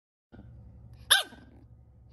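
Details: A French Bulldog puppy gives one sharp, high bark over a low steady hum during a command-training session.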